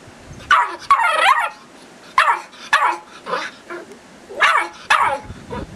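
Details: Eight-week-old Irish Terrier puppy named Tara barking at being filmed, giving high-pitched yips, some drawn out and wavering into whiny squeals, spaced irregularly about every second, with faint background shuffling.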